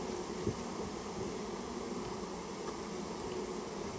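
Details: Japanese honey bee colony that built its nest inside a storehouse, recorded while being removed: a dense, steady, low droning hum with no pauses, and one faint knock near the start.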